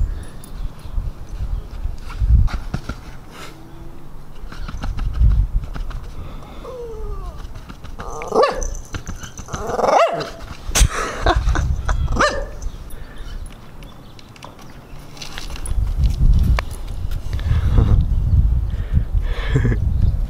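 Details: Jealous pet Siberian Husky throwing a tantrum indoors to demand attention; short whining, grumbling vocal bursts with bending pitch, loudest mid-clip, over low thumping and rustling, with a person speaking calmly at times.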